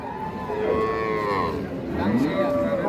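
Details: At a cattle market in Dinajpur where cows with calves are sold, a held mid-pitched moo is followed by a short upward-sliding call, under constant crowd noise and men talking about teeth and price.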